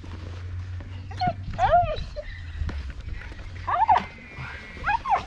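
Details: Mirana, a female Rottweiler highly excited by her ball obsession, gives several high, arched whines in short bursts spaced about a second or more apart, with a person talking and a low steady hum underneath.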